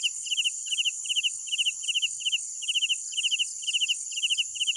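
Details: Crickets chirping at night, each chirp a quick cluster of about four clicking pulses, coming roughly twice a second in a slightly uneven rhythm, backed by a steady high-pitched insect drone.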